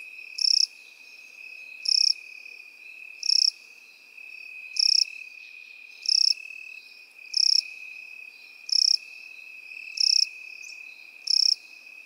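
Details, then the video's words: Crickets and grasshoppers in a grassy field: nine crisp, high chirps repeat about every 1.3 seconds above a constant piercing background trill. "Сверчки и кузнечики в полевой траве"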